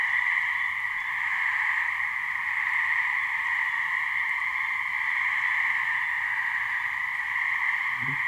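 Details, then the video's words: Mating calls of gray treefrogs (Hyla versicolor) in a New Hampshire swamp, a couple of frogs producing a continuous, level trilling hum, with a brief low thump near the very end. "Gray Treefrog mating call"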